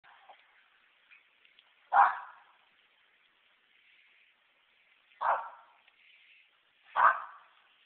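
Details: Pet dog named Pepper, let outside, barking while treeing a couple of squirrels; three loud, sharp single barks spaced about one to three seconds apart, with faint high squeaky chatter between them.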